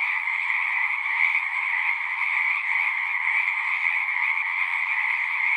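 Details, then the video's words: Crowd of frogs singing at once, their trills merging into a continuous two-toned buzzing chorus that swells slightly but never stops. "One hour of singing frogs."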